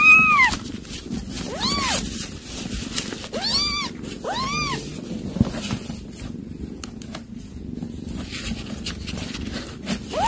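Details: Mother cat scene with kittens: a burst of four or five bright, arched meows in the first half, spaced roughly a second apart, followed by scratchy rustling and a final meow at the end.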